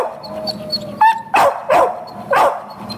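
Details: Peanut, a Boxer up for adoption, gives a short whine then three quick sharp barks in about a second and a half, faint high chirps behind.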